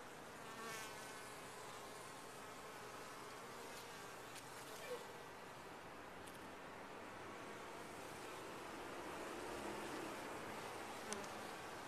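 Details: A top-bar hive of honey bees gives a continuous, even buzzing roar with faint layered tones. It swells slightly toward the end, with brief sharper buzzes of single bees passing close.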